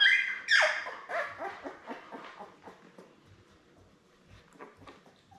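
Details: Newborn Labrador Retriever puppies, born May 24, 2021, with their mother Belle on an indoor puppy cam on June 4. A loud, high squeak falls in pitch at the start, then soft, rhythmic clicking pulses repeat about twice a second and fade.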